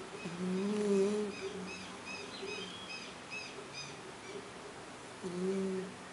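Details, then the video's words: A cat snores with a low, buzzing hum at the start and again near the end, while faint high bird chirps twitter in the background between breaths. "GATO RONCANDO cat snoring"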